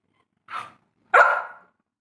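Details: Labrador, a short soft bark followed by a louder, longer bark that tails off, in a quiet room.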